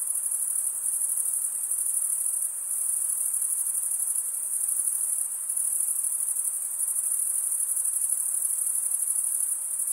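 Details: Male crickets stridulating, wing rubbed against the serrated vein of the other wing; unbroken shrill high buzzing chorus with faint pulsing, level almost constant, nothing else audible.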